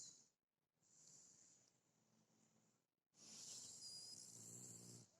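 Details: Shar Pei snoring: two long, soft, rasping breaths with a low rumbling hum underneath and a hissy edge, the second louder and longer, separated by a brief pause.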